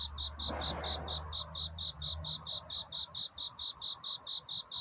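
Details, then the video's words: Courting cricket at night before dawn: bright, high chirp pulses repeating about four per second, first overlapped by a low hum and a brief rustle, then standing alone. "귀뚜라미 울음소리. 슬퍼 말아요 우는 것이 아니라 사랑을 찾는 노래랍니다"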